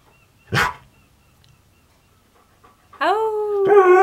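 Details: Indoor Siberian Husky named Keyush argues and refuses to sit: a sharp cough-like huff, a pause, then a drawn-out, wavering, tonal moan that bends slightly in pitch, his typical talking back.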